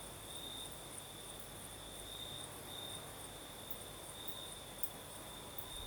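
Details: At night in the south of Crimea, crickets keep up a constant high-pitched trill, with a second faint shimmering tone above it and a light breeze hissing underneath.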